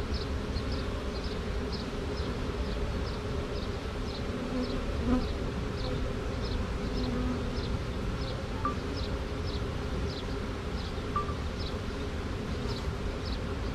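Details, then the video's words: Honey bee swarm, caught from a tree branch with the queen taken on the first shake, marching over drywall into a box; steady low droning hum throughout, with faint regular insect chirps ticking high above about twice a second. "Classic Honey Bee Swarm marching in the box"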